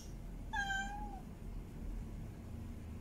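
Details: A single long meow from a female cat in heat, mate calling: one harmonic cry that holds steady and slides downward, followed by low rumbling background noise and no further calls.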